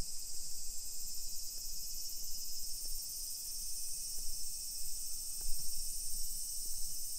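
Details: Summer cicadas in a modern hillside residential neighbourhood of Nisshin city near Nagoya, Aichi Prefecture, Japan, at 1 PM on 28 July 2021: a dense, steady high-pitched hiss of insect song fills the air without pause, with faint low street rumble beneath.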